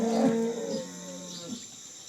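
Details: Cholistani Jersey cross cow in Pakistan, recorded March 12, 2025, gives a short, loud, steady low moo with clear harmonics in the first moment. It then fades into a softer, wavering tail over a quiet background.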